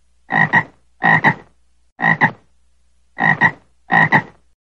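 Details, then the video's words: Frog giving five double-pulsed croaks, each a quick pair of rough, resonant notes, spaced roughly one second apart in a quiet setting with no other sounds. "frog voice"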